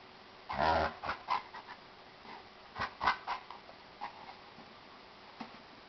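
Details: Jack Russell Terrier puppy, female, playing with a gentle 95-pound male Chesapeake Bay Retriever; a loud cluster of rough, harmonic growl-like bursts, then shorter huffs and panting-like puffs scattered over several seconds in an indoor setting.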